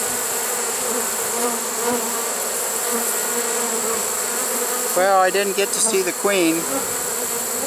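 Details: Trapped honey bee swarm, 1 September 2019, late in the season; a constant massed buzzing drone, with a person speaking briefly about two-thirds of the way through.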